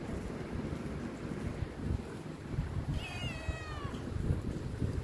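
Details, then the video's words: Pet Himalayan cat urging for food with one short, downward-sliding meow midway, set against a steady low rumble of background noise. "Adorable Himalayan cat urging food"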